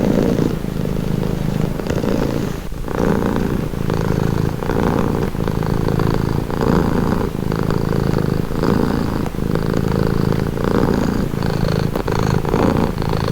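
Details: Cat purr heard close up as a dense, vibrating low drone. Louder and quieter phases alternate about every one to two seconds as the cat breathes in and out, with occasional light clicks and shuffling.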